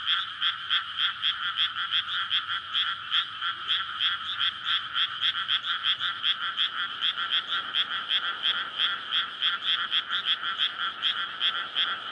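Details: Courting frogs massed in a water-filled paddy field, surrounded by houses, on a May night before rice planting: fast, rattling croaks stack into a steady throbbing chorus, about three pulses each second, unbroken throughout.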